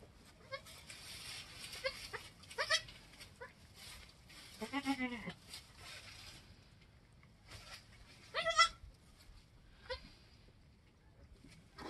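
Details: Homestead goats just after a doe's kidding, two newborns only an hour or two old; a low, wavering, drawn-out bleat in the middle, then a higher, sharper bleat, with scattered clicks and rustles between.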